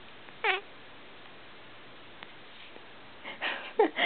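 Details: A domestic cat gives short, tonal meows that bend up and down in pitch as its owner sings "Old MacDonald" with it.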